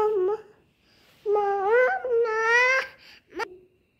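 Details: Kittens meowing: one short cry, then a long, rising, drawn-out wail that holds steady before cutting off, followed by a brief, sharp final squeak.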